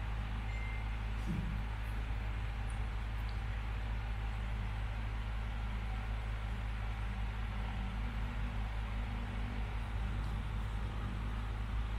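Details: Steady, loud engine and traffic rumble fills the whole stretch, with no animal calls.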